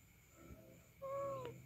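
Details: Orange domestic cat, spoken to by a person as if in conversation, gives one short tonal meow, level then slightly falling, after a moment of quiet room noise.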